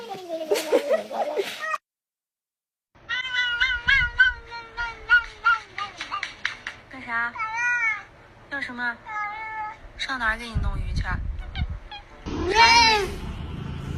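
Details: Funny pet cat, rapid strings of short chirpy meows and longer wavering meows, dozens in quick succession, with bits of human speech, a short silent break, and a loud final meow.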